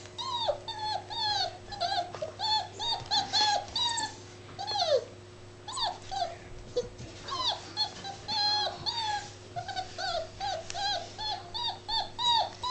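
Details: Labrador Retriever puppy, seven weeks old, playing indoors; high whining yelps and squeaks, falling and rising whimpers in quick irregular bursts, with steady low electrical hum underneath.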